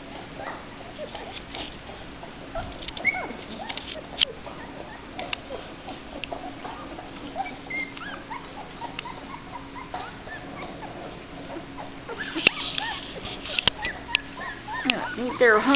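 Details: Black Labrador Retriever puppies, slightly over two weeks old, just starting to eat mush and thought to be hungry: high, thin whimpers and squeaky yips overlap throughout, growing louder near the end, with soft human voices nearby.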